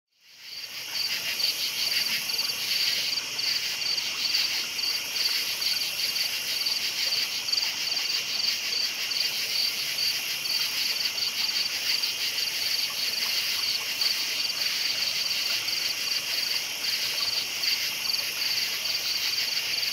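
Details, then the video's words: Crickets chirping at night in a dense chorus, a steady high-pitched trilling band with faint pulsed notes layered above, continuous throughout with no other clear sounds. "Night Sounds Crickets Chirping"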